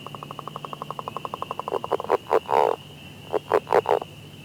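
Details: Frog in Ottawa County, Michigan, calling in spring: a fast run of clicking pulses, then several louder, harsh croaks.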